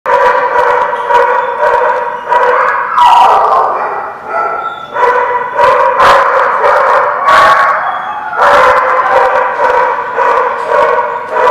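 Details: Dogs at The Barking Lot, recorded 20 January 2017, raising a sustained chorus of overlapping howls with yips and short barks mixed in, several voices layered together with brief sharp accents throughout.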